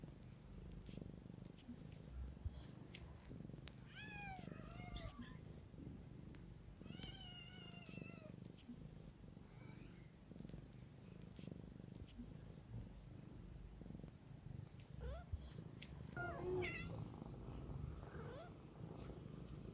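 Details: Mother cat tending her kittens keeps up a low, even purring rumble while thin, rising-and-falling kitten mews break in around four and seven seconds and again near the end.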